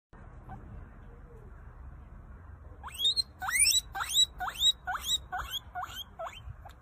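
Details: A guinea pig (Cavia porcellus) gives a wheek call, a run of loud, rising squealed whistles, about two per second.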